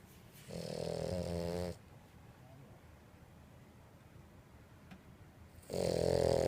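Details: Purin, a two-year-old female French Bulldog, snoring indoors: a rough, buzzy snore lasting about a second, a long quiet pause, then the next loud rasping inhale beginning.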